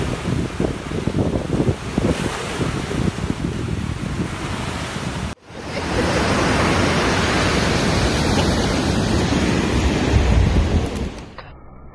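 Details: Roaring wind and surf-like noise that cuts out briefly near five seconds, then returns louder and steadier.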